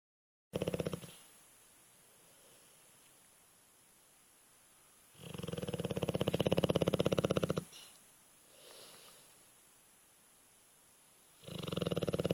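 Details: Alapaha Blue Blood Bulldog named Brock snoring heavily while asleep: long rasping, fluttering breaths in bursts a few seconds apart, with quiet stretches between them.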